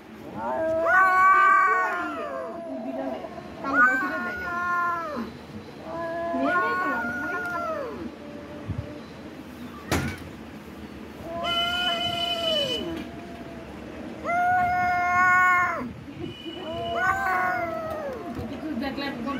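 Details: Cat caterwauling during a fight, long arched yowls that swell and fall, separated by short gaps, with a sharp click and a brief buzzy sound partway through.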